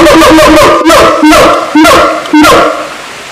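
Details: Siamang in a fast, loud run of harsh barking notes repeating about twice per second, with strong harmonics and a few brief rising inflections.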